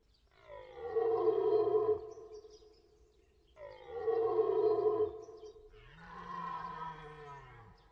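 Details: Repeated deer roaring: three long guttural bellows, each roughly one and a half seconds, rising then falling in pitch, spaced about two seconds apart with quiet between.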